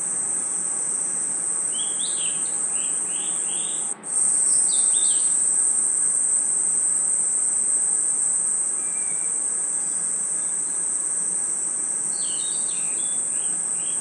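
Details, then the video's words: Night forest insects, crickets among them, keep up a continuous piercing high trill throughout, while a bird adds clusters of short chirps near the start, middle and end; a brief click breaks the drone at four seconds. "Forest Night Ambience 🌿 Crickets & Insects Chirping Sounds"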